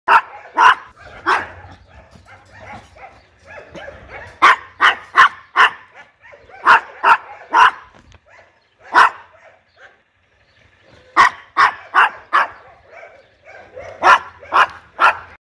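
A Chihuahua gives sharp, high yappy barks in quick bursts, with brief pauses between volleys.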